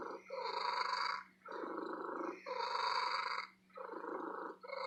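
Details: Female domestic cat purring loudly at an antique store, in long rhythmic breaths: rough, rumbling purr phases of about a second each, separated by short pauses, with a steady low electrical hum underneath.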